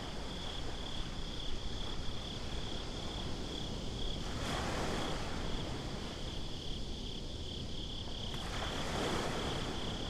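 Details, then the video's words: A high, even insect trill from crickets on a beach at night persists through dense low surf noise, while two breaking waves surge up briefly around the middle and the end. "Crickets at the Beach | Binaural Nighttime Ambience"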